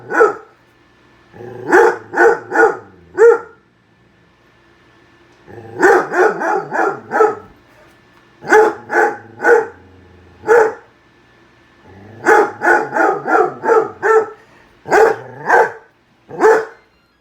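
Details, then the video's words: Indoors, a dog reacts to a microwave heating popping soup, firing off clustered volleys of rapid, high barks, some single, some in runs of four or five, with brief quiet gaps between. "Dog barking at microwave"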